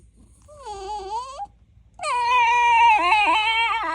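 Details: Shiba Inu that dislikes going for walks, complaining: a short whine at first, a pause, then a longer, louder drawn-out moaning whine with wavering pitch that dips and wobbles near the end, indoors.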